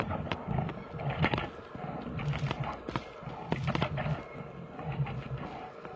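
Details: Two big brown bears fighting in Finland growl and roar in deep, rough bursts.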